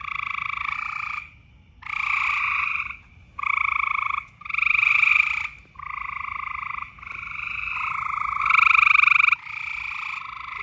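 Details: Frogs calling loudly in the mating season, giving buzzy, pulsed trills about one second long with short pauses between them. The trills repeat steadily, and a low rumble runs underneath.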